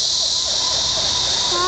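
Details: Korean cicada: a loud, steady, harsh buzzing drone, continuous throughout with no breaks, with faint lower tonal sounds drifting beneath it.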